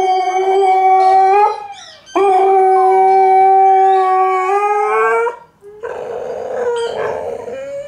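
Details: Alaskan Malamute and Husky howling together indoors, loud sustained tonal howls holding steady pitch with rich harmonics, two voices overlapping, a short break near two seconds, then a rougher, noisier final phrase.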